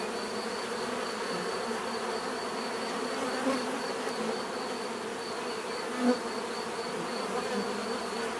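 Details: A constant hum of numerous bees, with a couple of louder buzzes as single insects fly close to the microphone, over a thin steady high-pitched tone.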